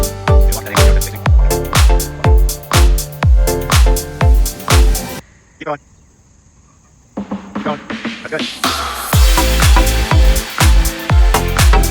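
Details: Driving electronic music with a pounding beat plays, breaks off into near-silence for about two seconds, then resumes, with no animal sound audible.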